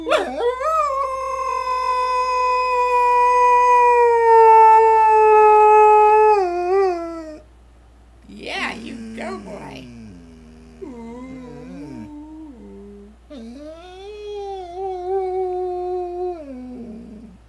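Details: Standard poodle service dog with purple ears singing to greet the day: a long sustained tonal howl holding steady for about seven seconds, then falling, followed by shorter wavering, dipping howls with a brief noisy burst between.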